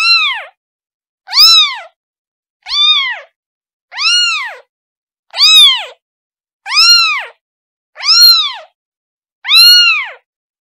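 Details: Kitten calling for its mother: eight clear, high, arched meows, each rising then falling, repeated steadily about every one and a half seconds against a silent background.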